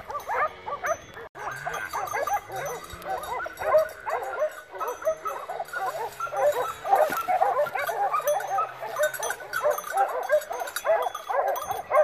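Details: Segugio Maremmano hounds baying together while hunting wild boar in a November 2017 drive at Poggio San Lorenzo, Rieti, Italy; a continuous tangle of many barking, yelping voices, with a steady low drone running under the middle of the recording.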